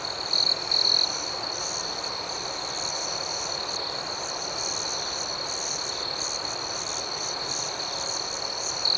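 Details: Crickets at night: a sustained high, ringing trill with faint rhythmic pulsing chirps over it, opening with two louder buzzy bursts and ending on another, steady throughout.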